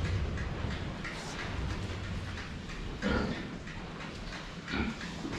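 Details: Pigs known as the Saigo-chans drinking water, filmed from the front; two short, low grunts about two seconds apart stand out over steady lapping, splashing and clicking noises.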